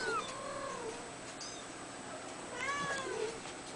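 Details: Red male Abyssinian kitten, two weeks old, born 22 April 2010, gives thin, high mews: a couple of short calls at the start, then another pair of rising-falling squeaks near the end, in a quiet room.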